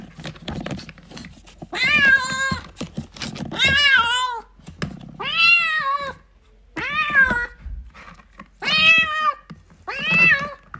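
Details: Kittens play-fighting indoors give five loud, drawn-out meows rising then falling in pitch, roughly every one and a half to two seconds, over soft low rustling and bumps.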